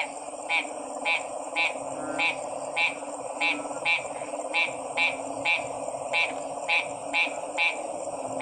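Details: Frog giving short, clicky pulsed notes spaced roughly every half second to second, standing out against a softer chorus, a constant high-pitched whine and a low hum.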